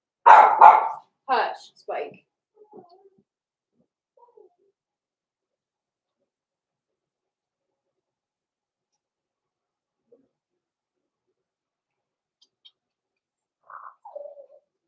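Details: Young blenheim Cavalier King Charles Spaniels, Roman and Blue, in their indoor puppy pen at Christmas: three bright barks in the opening seconds, a long quiet stretch, then a short high whine sliding downward near the end.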